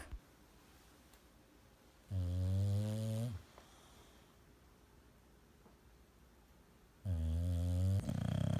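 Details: A sleeping English bulldog snoring loudly indoors; two deep, rasping snores of about a second each, separated by roughly four seconds of quiet breathing, the second snore trailing into a rougher snort.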